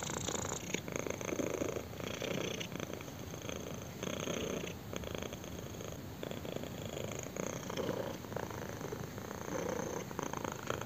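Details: Kitten purring while enjoying a chin scratch, recorded close up indoors: a steady, dense, rumbling purr with regular rising and falling swells as it breathes in and out, and no other sounds.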